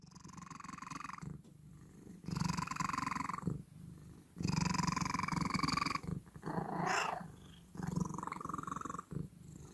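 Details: Domestic cat making strange noises: loud, rough, pulsing purr-like bursts with a nasal tonal band, each about a second long, alternating with quieter breathy phases roughly every two seconds, in a small indoor room.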